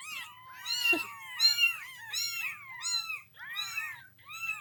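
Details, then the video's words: A group of kittens calling indoors, many overlapping high arched meows that rise and fall, layered and continuous, with a faint low rumble beneath. "funny cats and kittens meowing sound effects"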